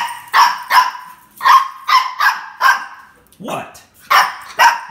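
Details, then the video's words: Indoors, the pet dog Jill barks roughly nine times in five seconds in an uneven series of short, punchy yaps. A person encourages her, and she is then let out to the backyard. "Jill starts barking and I encourage it"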